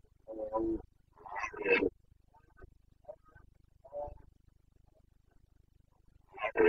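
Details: Carpathian red deer stag in the Bucovina mountain forests in the rut, 29 September 2022, giving rough, hoarse roaring bursts separated by quieter gaps, with one more loud burst at the end.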